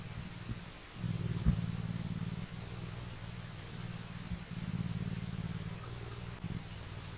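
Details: A mountain lion kitten purrs in a low, steady, throbbing rumble with pulses in quick succession while lions groom each other.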